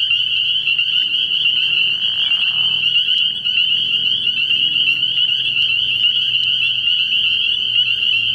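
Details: Many spring peepers at a frog pond after dark in early spring keep up a constant high-pitched, shrill chorus. A brief lower, rough burst sounds just past the two-second mark, and faint low hum lies underneath.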